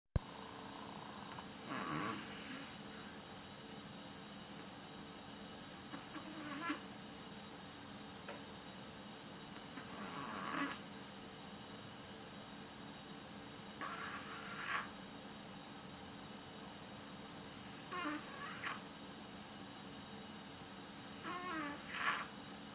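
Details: Yorkshire Terrier snoring while asleep, a sound likened to a little old man inside. Soft, breathy rasping bursts come roughly every four seconds over a steady low room hum.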